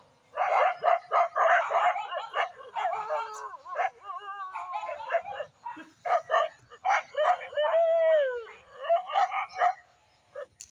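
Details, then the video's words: Village dogs in a dangerous fight: dense, rapid harsh barks and snarls, several per second, with drawn-out whining yelps around the middle and end, loud and continuous for most of the recording. "Village dog dangerous fight"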